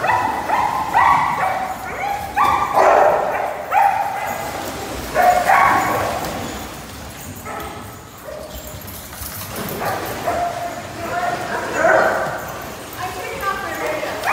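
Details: A group of pet dogs, including Labradors, Border Collies, an English Bulldog and a Husky mix, keeps up a long chorus of tonal barks and howls. Bursts come in waves with brief quieter gaps between them.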